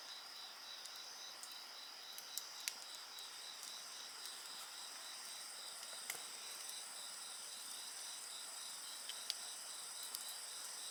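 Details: Chorus of several insects beside a crackling bonfire: steady high shrill trills layered with a pulsed chirping band, while sharp clicks and pops from the burning fire break through now and then.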